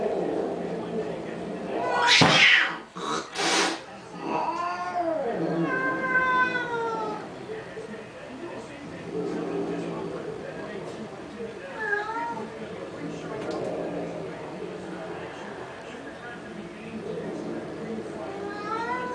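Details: Domestic cats fighting over a car: drawn-out wavering yowls with rising and falling harmonics, a few sharp loud bursts near the start, then lower growling wails and a short rising yowl toward the end, with voices in the background.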